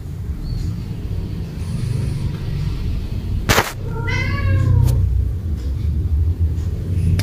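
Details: A cat excitedly playing ball on a rainy day gives one long arched meow after a sharp click, against a constant deep rumbling background.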